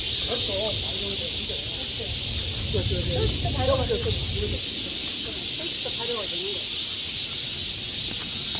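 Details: Cicadas drone shrilly and steadily on a summer forest path in Seoul, Korea. Human voices talk in the foreground during the first half, and low rumbling fades after about four and a half seconds.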